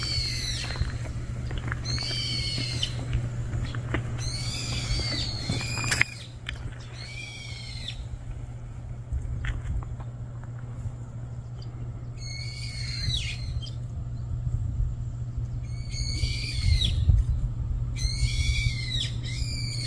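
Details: Kitten that cannot live without its mother, a stray cat with mother cat noted, gives high, arched, harmonic-rich mews in quick bursts, a quieter gap mid-way, then more mews, over a steady low hum.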